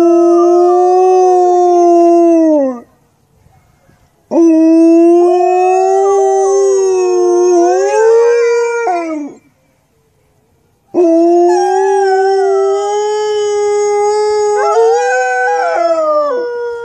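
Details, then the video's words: Two Alaskan Malamutes howling together in a duet; three long, loud, harmonic howls of about three to six seconds each, mostly steady with wavering rises and falls near the end, separated by short pauses. "Malamute Singing Duet"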